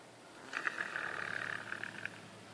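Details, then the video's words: Deaf leopard Kiya at the Wildlife Survival Sanctuary, Florida, asleep and snoring from breathing trouble; one drawn-out rattling inhaled snore lasting about a second and a half against a quiet background. "Kiya the snoring leopard"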